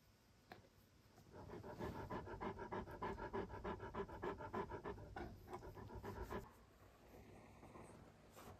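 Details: Alain, a male Great Pyrenees born 20 November 2014, indoors in Mother's room, curious about a mysterious white dog that is really his own reflection in a mirror; rapid rhythmic panting, about three breaths per second, fading out near the end.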